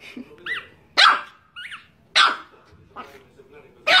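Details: Angry Chihuahua barks sharply about every second, with short rising-and-falling yelping whines squeezed between the barks in a tense, uneven rhythm.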